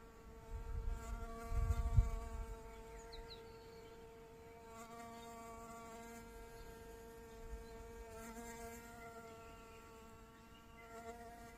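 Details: Bee-fly hovering among primula flowers in a garden in Bulgaria; a steady high wing hum with clear stacked overtones, fading and swelling as it moves, with a low rumbling thump near the start.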